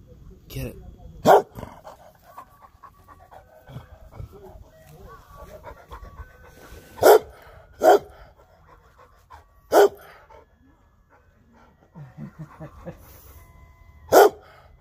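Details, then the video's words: Emma the dog barking at the ice cream truck. About five sharp, loud single barks come at irregular intervals, with soft panting between them, a faint tonal melody, and a person's encouraging voice. "Barking at the ice cream truck."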